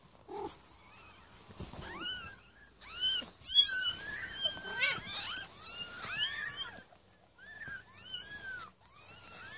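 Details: Several young Maine Coon kittens from a litter of six born 8 May 2015 at a cattery, crying in shrill, arching high meows that overlap in busy clusters, then fall quiet briefly before more calls.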